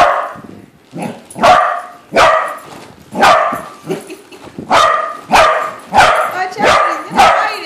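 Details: Corgi at home confronting a balloon shaped like a corgi, barking steadily about once a second in short, sharp, loud barks with softer yips and grumbles between them.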